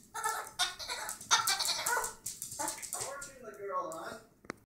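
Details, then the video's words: A female rescue Chihuahua in Minnesota gives shrill, squeaky squeals in quick bursts when excited, sounding oddly like a dolphin. "Rescue chihuahua dolphin sound"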